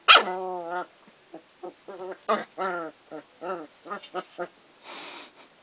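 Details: Kooikerhondje puppies from one litter at play: a loud opening yelp, then a string of short harmonic growls and whiny yips spaced about every half second, ending in a soft breathy rush.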